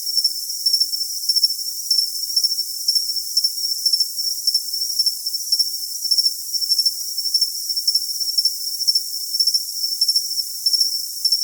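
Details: Cricket sound for tinnitus masking: a continuous shrill high trill overlaid with crisp, evenly spaced chirp bursts, roughly two each second, with no low-pitched sound at all.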